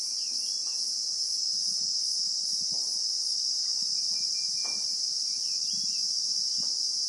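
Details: Unbroken high shrill of Christmas beetles (Anoplognathus) in South African bushveld, even and unvarying, with soft rustles, light knocks and a couple of faint brief whistled notes in the background.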